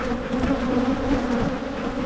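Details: Steady humming of honeybees from a Michigan hive opened for splitting to prevent swarming, a healthy colony checked for hanging queen cells; low continuous drone, gently wavering, with faint clicks of frames.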